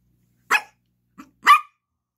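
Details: Yorkshire Terrier puppy, named Gracie, barking for a toy while playing with a ball indoors beside a Lhasa Apso: two sharp, bright barks about one second apart, with a faint short yip between them.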